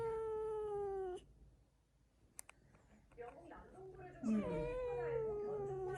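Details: Domestic cat vocalizing defensively, repeatedly, while touched by a person it dislikes: a drawn-out, harmonic, slightly falling moaning growl lasting about a second, then a pause, then a second rougher growl with a television news voice talking throughout.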